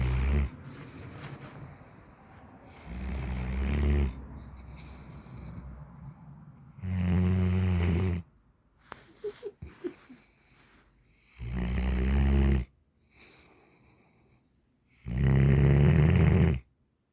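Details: Central Asian Shepherd Dog, an alabai, snoring in its sleep: loud, low rumbling snores in long bursts of one to two seconds, roughly every four seconds, with quieter wheezy breaths and small rustles between them.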